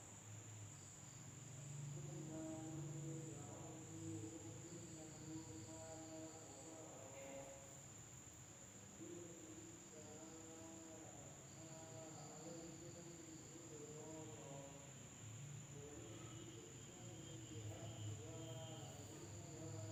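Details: At night in a village in Indonesia, insects keep up a steady, high, shrill trill, with softer low murmuring sounds underneath.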